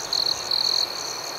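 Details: A nearby cricket at night gives two bright, shrill trills, the second longer, over a soft high-pitched chorus of other crickets.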